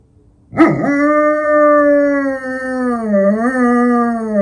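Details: An eight-year-old female German Shepherd howls at night in Ukraine, her first howl ever: a sustained tonal howl after a sharp onset, holding level, then dipping, rising briefly and falling as it fades.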